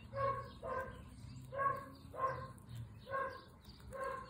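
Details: Pet guinea pigs on a picnic outdoors give a run of six short, nasal squeaks, evenly rich in overtones, spaced about every three quarters of a second against a soft low hum.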